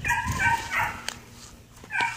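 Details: Belgian Malinois named Ares, called noisy, lets out several short drawn-out whines in quick succession, then a sharp click, a quiet pause and one more brief whine.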